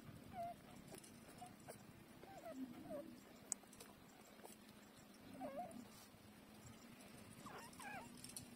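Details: Nursing puppies a week old with eyes shut, locating the teats by smell; soft wavering squeaks and whimpers recur every few seconds over a constant low hum, some dipping and rising in pitch.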